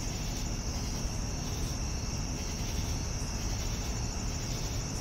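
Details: Crickets chirping in the evening: an unbroken high-pitched ringing trill with faint rhythmic pulses roughly every second, over a deep steady background rumble.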